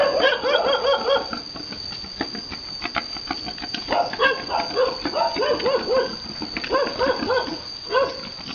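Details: Domestic pigs, a boar mating a virgin sow, on a Vietnamese farm. Rapid arched, harmonic grunting squeals come in bursts of about four per second, with short pauses between runs. Faint human voices sound in the background.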